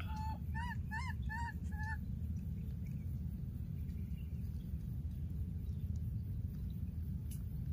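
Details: Baby monkey in the wild, having lost its playmate, calls repeatedly: five clear, bright, rising-falling whistled notes with strong harmonics, evenly spaced within two seconds, then only a low background rumble.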